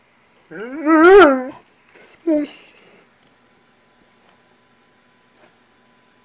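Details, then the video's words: Great Dane in foster care telling its keeper it wants breakfast, a rising-and-falling moaning whine followed by a shorter groan, then quiet indoors. "Great Dane talking"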